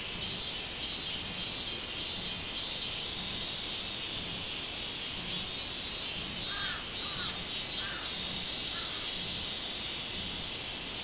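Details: Minmin cicada recorded on 24 July 2016, its loud, high buzzing drone pulsing in waves, with a brief series of lower chirping calls from another animal in the middle stretch.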